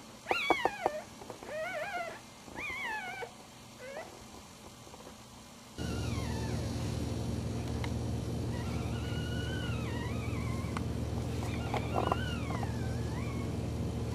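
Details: One-week-old puppies sleeping and nursing give a series of short, high, arching squeaks and whines, some rising then falling, scattered over several seconds before a steady low hum fills the background.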